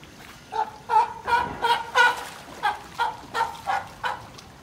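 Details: At Higashiyama Zoo in Nagoya, a California sea lion gives a quick run of harsh, honking barks, several each second. Older brother Tapioca seems to be inviting a female pup born in 2020 to play in the water.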